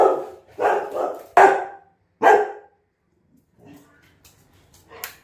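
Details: Labrador Retriever barking indoors: four short, loud barks spaced under a second apart, then quiet with faint rustling and a brief human voice.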